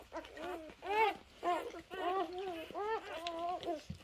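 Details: Newborn Labrador Retriever litter, three days old, on a farm: repeated thin whining cries, some rising and falling, others held level, arriving in clusters about twice a second with brief quiet gaps.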